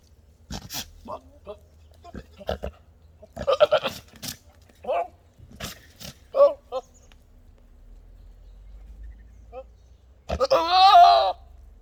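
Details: Goats making monkey-like noises: scattered short nasal grunts and chattering bleats, then a loud, long, wavering bleat that trembles up and down near the end, with some clicks and possible voices between calls.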